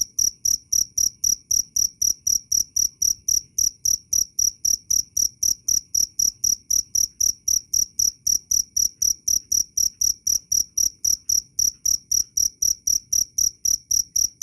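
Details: Clear, loud cricket chirps offered as bird-training audio, therapy and rat repellent; shrill, evenly paced pulses follow one another about four times a second throughout.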